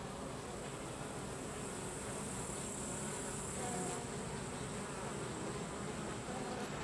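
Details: Carniolan honey bees, Apis mellifera carnica, with workers forcing drones out of the hive: steady massed buzzing and humming, plus a faint high whine that stops near four seconds.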